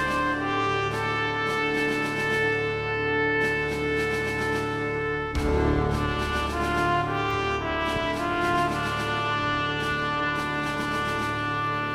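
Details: Loud brass band music with trumpet, trombone and horn playing sustained chords and short repeated phrases; no animal sounds.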